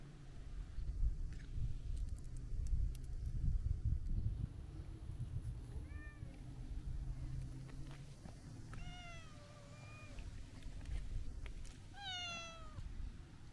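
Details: Long-haired brown tabby-and-white cat lounging by the sea and talking while stroked: a soft short mew, then two longer falling meows toward the end, against steady low wave and wind rumble.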